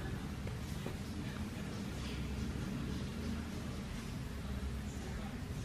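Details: Broad hissing outdoor noise with a low rumble continues throughout, and no animal sound can be picked out.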